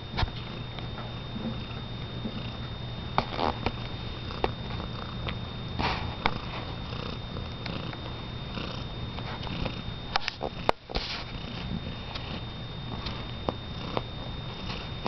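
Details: Pet cat MJ, toenails freshly painted red, indoors in a small room while baby-talked by her owner: a steady low rumbling purr runs throughout, broken by soft clicks, rustling and brief handling noises.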